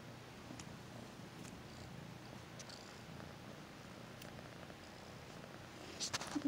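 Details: Kitten purring contentedly as it is stroked and fussed over: low, pulsing rumble in steady rhythmic waves about three per second, continuous, with light rustles and a louder scuffing of movement at the very end.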